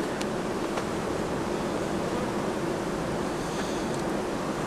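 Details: Steady broadband rushing noise, like wind buffeting a microphone, continues throughout with a few faint ticks.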